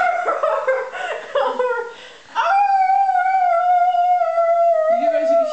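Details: A pet dog said to sing, giving a long sustained tonal howl that holds steady and wavers slightly after several shorter broken yelps at the start, indoors.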